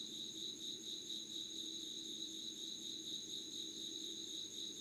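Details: Insects heard at 5:00 on 25 August 2019: continuous buzzy trill with quick rhythmic pulsing, a constant shrill upper tone, and faint low hum beneath.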